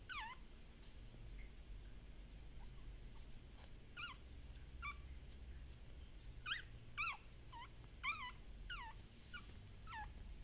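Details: Active Shiba Inu puppies from a Shiba Inu and Samoyed breeder in the Netherlands, giving short high whimpers and yips that sweep downward, in scattered bursts with a cluster near the end over a low steady hum.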